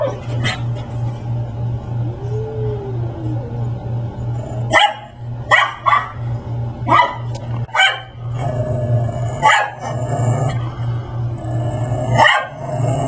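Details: Brussels Griffon Max, dressed in a dinosaur Halloween costume, pesters Layla the Persian cat. Scattered sharp barks, roughly one every second or so in the second half, sound over a constant low electrical hum.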